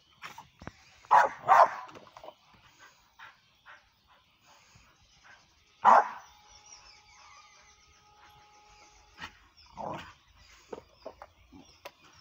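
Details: Kitty, a pit bull said to be readied for the fighting ring, gives loud single barks, two close together near the start, one mid-clip and another later, with a thin steady whine trailing between them over a quiet outdoor background.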